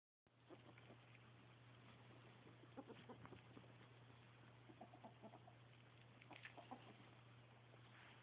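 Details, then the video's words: Happy pet ferret giving soft, quick clucking chatter in short irregular bursts, quiet throughout, with a steady low electrical hum underneath. "Happy Ferret!!!"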